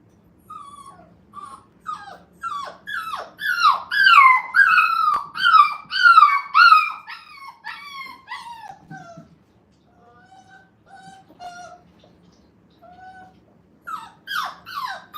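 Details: Five-week-old Brittany puppies in a playpen for the first time at a kennel, crying in quick bursts of high, downward-sliding whines and yelps. The whines swell into a loud chorus, fade to thin, steady whimpers, then flare up again.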